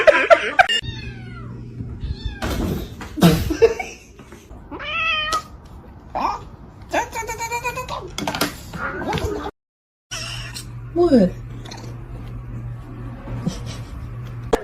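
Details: Domestic cat from a compilation of funny cat moments gives several drawn-out, bending meows, some rising then falling, spread across the stretch, mixed with people talking, brief thumps and a steady low hum in the background.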